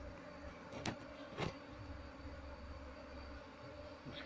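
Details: Honey bee colony being moved into a hive box while the queen is still not found after about 30 minutes of searching; a steady low droning hum with layered tones, broken by two sharp clicks.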